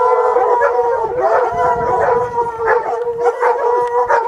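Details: Hunting hounds baying up a mountain lion in the rocks: loud, sustained, overlapping howling bays with rich harmonic tones, several voices rising and falling together without pause.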